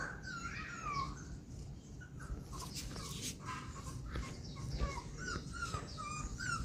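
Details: Poodle puppy jumping out of a box indoors, giving high, thin whimpers that slide downward, repeated in short bursts, over a low rumbling background with a person talking nearby.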